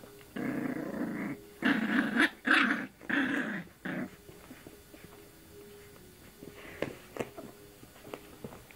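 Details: Indoors, little female puppy Sammy tries her luck mouthing a person's arm, giving a run of gravelly growls, three or four rough bursts in the first four seconds, then quieter scuffling and faint clicks.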